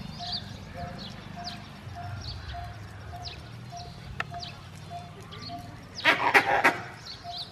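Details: Male Indian grey langur giving an angry alarm call, warning his group of danger nearby: a short burst of harsh, loud barking pulses near the end, over a steady background of soft repeated tonal chirps and faint clicks.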